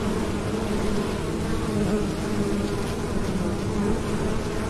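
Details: Continuous low droning buzz of bees, steady hum with bright bands around 200 and 450, flickering slightly as individual insects shift, over a wash of broadband hiss.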